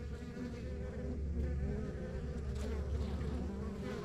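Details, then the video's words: Deep, steady drone of honey bees from a backyard beehive on a rural property, heavy low hum swelling slightly midway, a few passing wing whines briefly audible above the crowd. "Relax to the Sounds of Our Backyard Buzzing Beehive"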